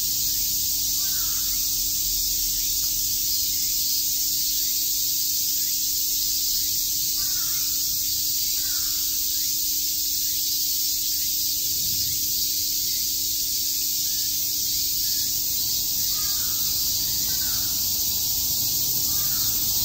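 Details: Cicadas chirping on a summer day in Shakujii Park, Tokyo: a dense, unbroken high-pitched buzzing hiss fills the whole stretch, while crows caw repeatedly in the background.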